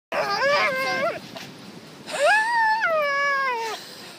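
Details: A dog vocalizing in two long, tonal, whining howls, each sliding up then gliding down with a bright harmonic edge, separated by a short quiet gap.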